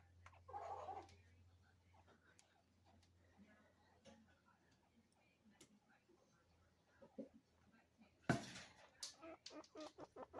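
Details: Two chinchillas, described as a father and son talking to each other, call: a brief squeaky note, then a quick run of sharp, clicky barks.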